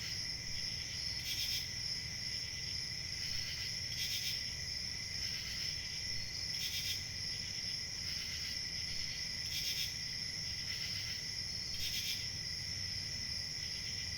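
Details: Chorus of crickets producing a continuous high, ringing trill, punctuated by short brighter pulses recurring about every one to three seconds, with a soft low background hum beneath.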